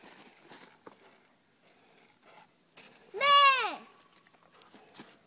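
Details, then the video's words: Young male Airedale Terrier in a back yard, treeing on a squirrel pelt after tracking a drag: one loud, harmonic, arching howl-like bark lasting under a second, with softer yips and a man's praise around it. "Airedale tracking and treeing"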